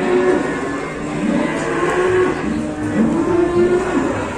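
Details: Cow at an Indonesian cattle market: a low, drawn-out moo with wavering harmonics sits under steady background clatter and distant voices.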